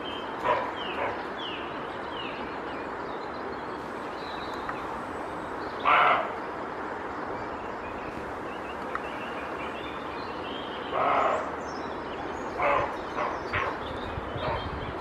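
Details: Male roe deer barking in alarm after a faint noise behind it warned of a stranger, signalling that no one may enter its territory; harsh, hoarse broadband barks spaced several seconds apart, with small bird chirps and steady background hiss.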